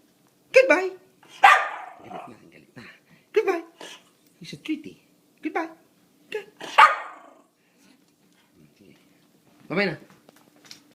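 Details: Indoors, a dog objecting to its owner leaving the house barks and yips in quick uneven bursts, some harsh and broad, then pauses before one last bark.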